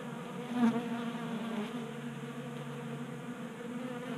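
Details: Honey bees feeding at a 3D-printed table-top feeder in a garage in Colorado during warm January weather, a steady buzzy hum with banded tones around the low-middle range, one louder swell near the start as a bee passes close.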